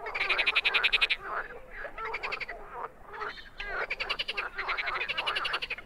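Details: Wild frogs calling in bursts of fast, rattling pulsed croaks, several trains overlapping and pausing briefly between them, forming a dense, high-pitched chorus.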